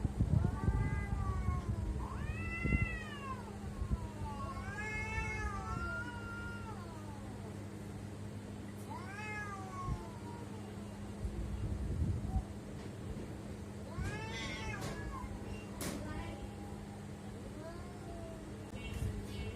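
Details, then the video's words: Domestic cats making weird sounds: a series of drawn-out, wavering meows rising and falling in pitch, several in the first ten seconds and more later, over a steady low hum. "Why My Cats are making weird sound?"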